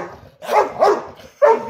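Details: Playing pet dog Ludo barking during his daily morning barking game; three loud, ragged barks with a grumbling, growly quality between them.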